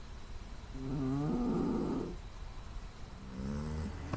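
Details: Loud snoring and nasal noise from a sleeping female pet cat, captured by smartphone with surrounding noise shut out. One long, rough, buzzing snore swells and fades, then a softer, lower snore begins after a short pause.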